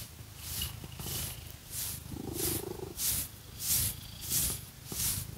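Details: Domestic cat Phoenix purring while being scratched with fake nails: a low, rumbling pulse runs steadily underneath, with short hoarse tonal swells, while bright scratching bursts of the nails repeat about once every half second.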